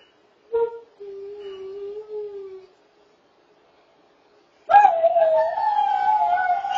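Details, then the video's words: Greyhound rooing: a short yelp, then a steady mid-pitched howl lasting about two seconds. After a pause, a louder, higher, wavering howl rich in overtones carries to the end. "Greyhound Roofest"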